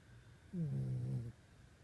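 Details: Sleeping dog, which snores every night, lets out one low, droning snore lasting under a second, with a steady pitch in a quiet indoor room.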